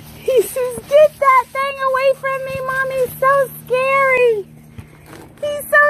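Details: Tonka, an Alaskan Malamute indoors, gives a run of drawn-out, tonal woo-woo vocalizations, about ten in six seconds, some rising and falling like talking, with brief gaps between them and a steady low hum beneath.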